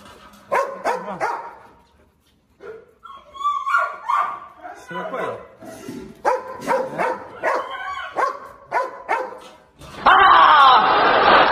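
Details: Limping Presa Canario named Xuanfeng, a dominant male confronting a strong rival dog, gives loud barks in quick clustered bursts. A man shouts over them, and a harsh burst of broadband noise closes the recording.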